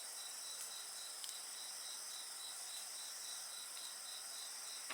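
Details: Insects singing beside a bonfire: steady high shrill bands with rapid regular pulsing chirps near the top, over a constant hiss, with a few faint crackles of burning wood.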